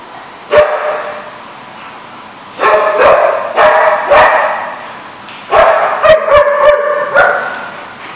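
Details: A dog barking in a parking lot, recorded 24 August 2015: loud, harsh barks in bursts, single barks near one and two seconds, then clusters of three to five quick barks, with steady background hum between.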